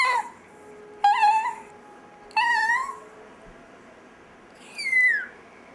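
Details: Pet chihuahua named Dexter "singing" in a small room: three drawn-out whimpering notes that waver and rise slightly, with a pause between them, then a final higher note sliding sharply downward; a faint steady tone hums in the background.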